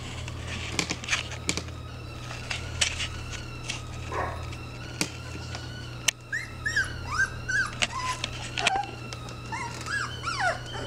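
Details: Blaer, a mother dog caring for her three-week-old puppies; scattered clicks and taps early on, then a run of high, thin whimpers and squeals, short and rising-falling, crowding the second half over a steady low hum.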